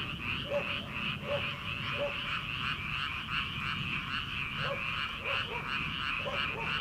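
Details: Night chorus of paddy frogs in early summer, before rice transplanting: steady rapid rattling croaks from many frogs, overlaid by occasional distinct plucked, lower croaks, with a faint low hum behind.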